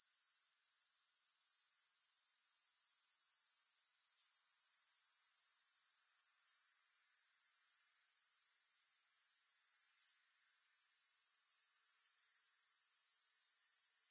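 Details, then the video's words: Grasshoppers produce a continuous high-pitched pulsing trill, about four beats a second. It dips quiet twice, near the start and again later, each time fading back in. No music or other sounds. "Grass Hopper Sounds"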